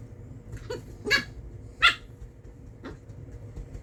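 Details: Corgi puppy at play with a hairbrush, uttering quick high-pitched yips, two louder ones close together in the middle and fainter squeaks around them, indoors.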